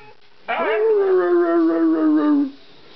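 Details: Young Siberian Husky puppy howling indoors: one drawn-out howl lasting about two seconds, opening with a quick rising note, then holding a steady, slowly falling tone with wavering overtones before cutting off.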